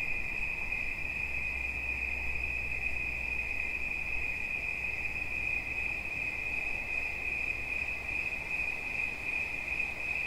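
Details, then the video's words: Cricket singing a continuous, steady high-pitched trill that holds one unbroken tone without pause throughout, with a fainter overtone above it and a soft low hum underneath. "Świerszcz. Dźwięki relaksacyjne"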